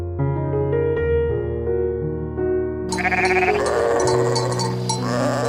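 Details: Music plays alone at first, then a sheep breaks in with a loud, rough, wobbling bleat that carries on to the end.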